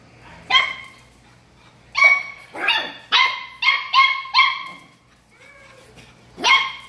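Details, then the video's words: Pug puppy, a newly arrived family dog, giving a series of short, sharp, high yapping barks: one alone, then a quick run of five close together, a pause, and a final bark, in an otherwise quiet room. "Cute Pug Puppy"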